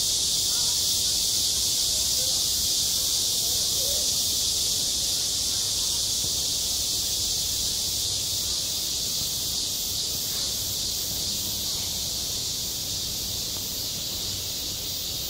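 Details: Cicadas call on a school playground in high summer. A dense, steady, hissing buzz holds without a break for the whole stretch, loud and unchanging, with no other clear sounds.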